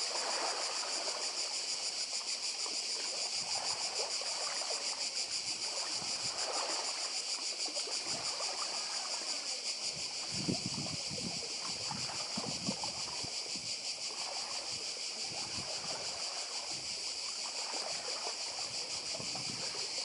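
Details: On Badija, a Croatian island, cicadas keep up a loud high-pitched pulsing buzz for twenty seconds, layered over surf and splashing water from the nearby sea.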